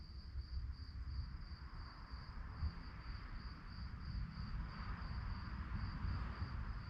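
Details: Crickets at night sound a high, evenly pulsed chirp repeated a few times per second, with a strong low rumble and a soft hiss of broadband noise behind it.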